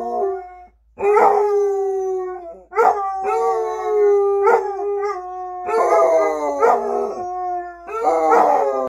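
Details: Two Basset Hounds howl together as they usually do, long wavering baying notes that overlap and slide down in pitch.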